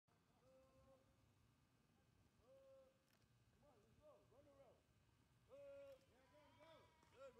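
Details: Several goats bleat close by at Berkeley Lab in wavering, nasal cries that overlap one another.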